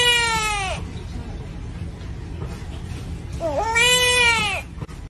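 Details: Bullfrog in Taizhou, Jiangsu Province, China, recorded April 8, rescued by a chef from cooking for its special voice; two wailing, harmonic cries like a human baby saying "mum", each falling at the end, separated by a pause.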